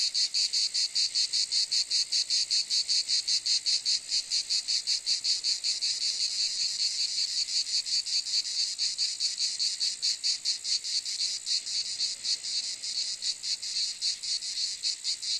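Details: Cicada producing a continuous high, raspy buzz broken into fast, regular pulses, around two and a half per second, loud and steady for the full length, nothing else audible.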